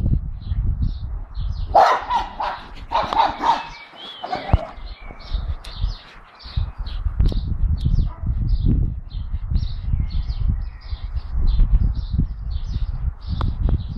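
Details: A four-month-old blue Staffordshire Bull Terrier puppy with another dog, barking at the neighbours' dog: a cluster of loud sharp barks around two to four seconds, then quieter scattered sounds, with faint high chirping birds throughout and a person calling.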